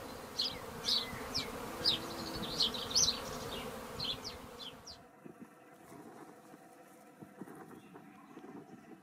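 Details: Swarm of treatment-free honey bees in a garden in May, settling around an empty hive. Dense, steady humming buzz fills the first half, with bright chirpy bird notes overhead, then fades to a quieter, thinner buzz with light background noise.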